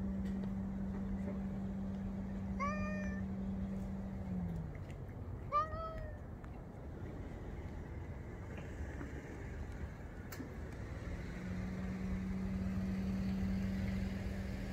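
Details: Female grey-and-white cat on a fence gives two short, bright meows a few seconds apart, set against a continuous low mechanical drone that fades midway and returns near the end.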